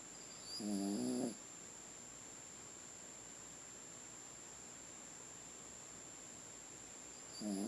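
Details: A Chiweenie dog asleep and snoring: a short, nasal, harmonic snort lasting about a second near the start, then quiet breathing, with another snore beginning at the very end.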